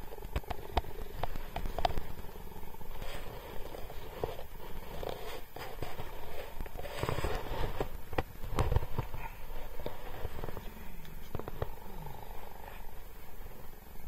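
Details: James, a captive cheetah living at Cheetah Experience, interacting with a man; a continuous low rumbling purr runs throughout, overlaid by scattered crackling clicks and handling noise.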